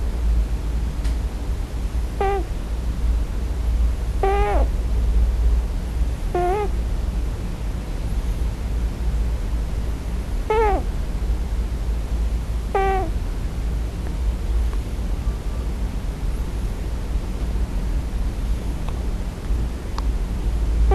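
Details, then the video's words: Scottish Fold kitten, male, crying for its mother in its sleep on its first night in a new home; five short, thin, wavering cries spaced about two seconds apart in the first half, then quiet, over a steady low hum. "Scottish Fold 34 [Snoring? Dream Talking?]"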